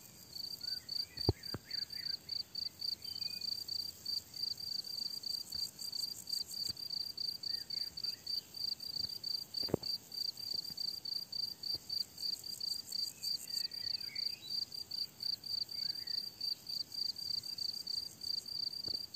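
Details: Summer meadow crickets chirp in a dense, steady pulsed rhythm of roughly 210 chirps a minute, with a thin high buzz above, a few distant bird phrases near the start and middle, and an occasional soft knock.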